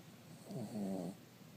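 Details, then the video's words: Three-year-old Cavalier King Charles Spaniel asleep, giving one low rattling snore of about half a second, a buzzy droning inhale that swells and fades, against quiet room background. "Cavalier King snoring"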